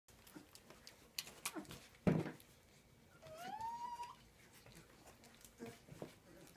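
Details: Transylvanian Hound puppies, 19 days old, indoors; a single thin whine about a second long rises then levels off, with faint clicks, shuffling and soft knocks around it.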